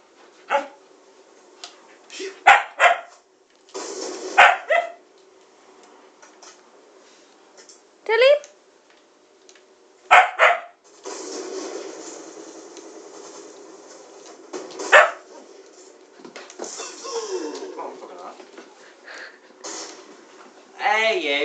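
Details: A female Siberian Husky demands attention because she doesn't want her owner playing a game, making irregular yowling and whining bursts, some sliding up and down in pitch, while a man speaks between and over the calls.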